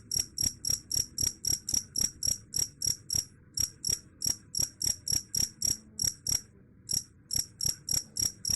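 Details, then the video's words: Shrill cricket chirps, reputedly able to scare off rats, repeated rapidly and evenly at almost four per second, broken by one short pause near the seventh second, over quiet low noise. "Suara Jangkrik _ Bisa Usir Tikus"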